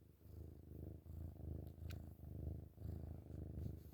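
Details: Kitten purring loudly while cuddling in the morning indoors: a steady low rumbling purr in even pulses, swelling and easing with each breath roughly every half second, with faint brief clicks.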